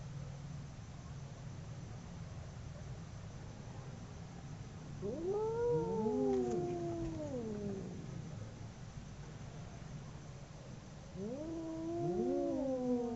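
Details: Howling from two fighting domestic cats: two separate drawn-out yowls, each rising sharply then sliding down over two to three seconds, several seconds apart, over a quiet low background rumble.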